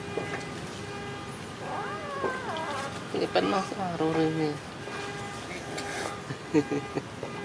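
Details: Tiny abandoned newborn kitten, very hungry, crying with a series of wavering, rising and falling meows, some short and some drawn out, while people talk in the background.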